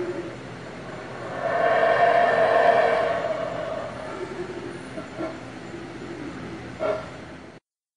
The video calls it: Monkey Sounds ￨ Monkey Screams